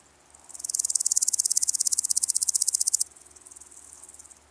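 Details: Woodland grasshopper (Omocestus rufipes) on Gaisberg, Austria, 15 September 2023: a rapid, dry ticking stridulation that swells quickly, holds loud for over two seconds, then drops abruptly to a softer, slower run of pulses.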